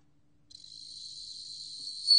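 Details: Bell cricket from a 2020 National Institute of Biological Resources recording, heard as a thin high continuous ringing tone that fades in, stays soft, then rises into a sudden louder swell at the close.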